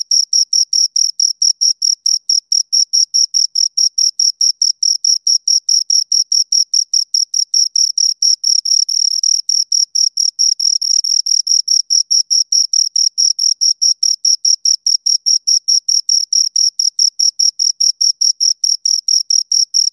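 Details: Two crickets produce a continuous run of sharp, high chirps, somewhat faster than two per second, very regular and loud, with a few moments where the two callers blur together; quiet surroundings.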